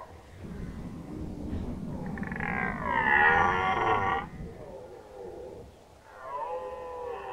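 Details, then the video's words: Red deer stag bellowing during the 2019 rut in Nationalpark Unteres Odertal. Low rumbling builds into a long, loud, rasping roar lasting about two seconds. After a lull, a second, wavering roar begins. "Hirschbrunft 2019 (red deer rut 2019)"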